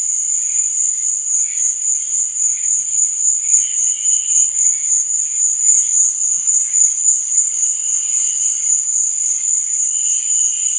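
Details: Chirping crickets at night form a continuous piercing trill, while scattered, quieter lower notes drift in and out, several short tones appearing in the second half.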